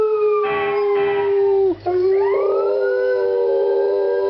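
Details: Athena, a dog, howling at passing fire trucks: a long steady mid-pitched howl that dips briefly, then resumes while a siren rises behind it, with short bursts of other sound early on.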